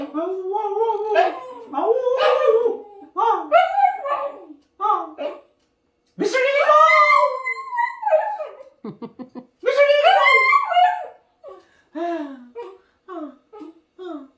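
A Jack Russell Terrier 'sings' in bending, yodelling howls and whines with short pauses between phrases.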